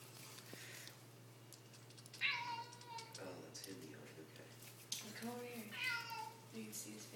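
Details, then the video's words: Male kitten indoors making odd vocal noises: a high, falling meow-like cry, then fainter chirps and a second drawn-out wavering call, over a steady low electrical hum. "Adorable kitten making weird noises"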